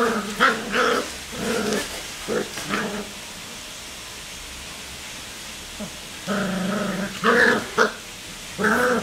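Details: Three black Cocker Spaniel puppies growl and yip in short, harmonic bursts during rough play.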